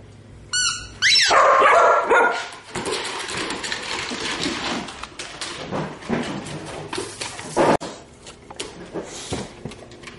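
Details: Shih Tzu-Labrador mix dogs, two sister littermates about two and a half years old, one giving a sharp high yip near the start, then scuffling and rustling noises with soft whimpering sounds through the rest.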